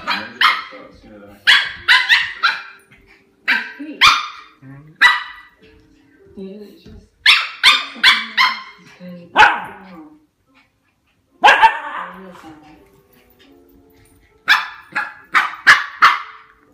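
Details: A Shiba Inu puppy gives sharp, high yips and short barks in quick bursts while rumbling over a bone, with a voice nearby.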